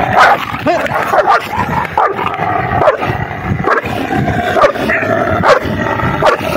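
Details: Dogs fighting to mate give a run of harmonic yelping and whining bursts, repeated roughly every half second to a second, with occasional brief voices in the background.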